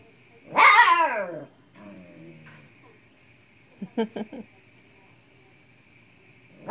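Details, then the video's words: Siberian Husky puppy frustrated with an unplaying cat: a single loud falling bark, then soft low whines and a few short clicky sounds, with a steady faint tone humming through and another call beginning at the end. "Husky puppy yelling at lazy cat"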